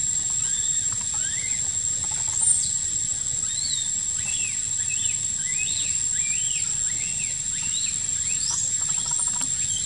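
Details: Crying of baby macaque Quinton, hurt by a sister monkey in a park: dense, repeated high squeals rising and bending down, coming in quick succession across the recording over a constant noisy background.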